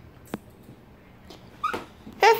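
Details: A male Shih Tzu, angry, gives a short, high, yelping bark, demanding a piece of fruit.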